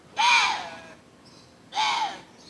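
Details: At night, after 11 pm, in Yeongwol, Gangwon Province, South Korea, a water deer gives two harsh, hoarse, crow-like screams, heard as "kkak kkak", each under a second and about 1.5 seconds apart, with a faint thin tone after each.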